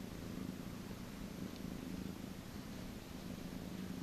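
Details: Cattery cat purring while being massaged: a soft, continuous low rumbling purr pulsing steadily in a quiet room.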